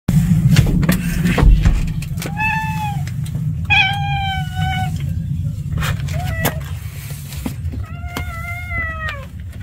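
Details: Stray cat meowing outdoors: three drawn-out, slightly wavering harmonic meows spaced a couple of seconds apart, with a deep steady low rumble beneath and occasional sharp clicks.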